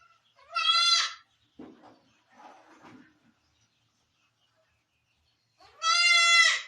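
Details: Barbari goat at a farm in Sultanpur during delivery time, giving birth: two loud, harmonic, wavering bleats about five seconds apart, with faint rustling and soft murmurs between them.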